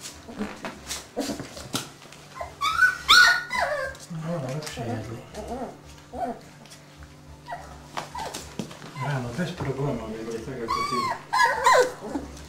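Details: Young Dobermann puppies, 25 days old, from the Best Cerber E litter: a run of squeaky rising-and-falling whines and sharp little yelps, some looping upward, with people talking in the background.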